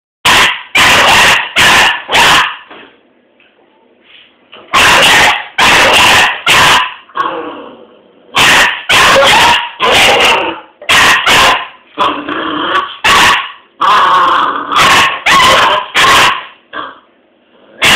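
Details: Doberman puppy barking at a broom it has just discovered: bursts of sharp, harsh barks, some in quick pairs and triplets, separated by short pauses and fainter whiny grumbles.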